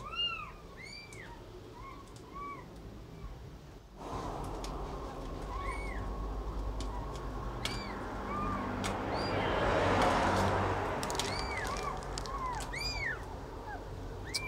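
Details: Cat with kitten while feeding. Short curved mews repeat irregularly through a rising wash of rustling and clattering background noise.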